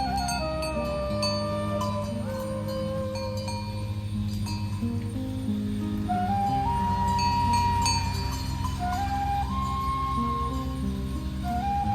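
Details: Flute melody over a steady low instrumental drone, with wandering whistled notes and faint clinks, and no cattle lowing heard.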